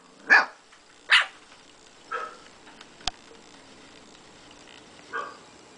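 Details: Two-month-old Siberian Husky puppy trading barks with a pet Quaker parrot about two years old; two loud yappy barks, softer ones spaced a second apart, and a sharp click.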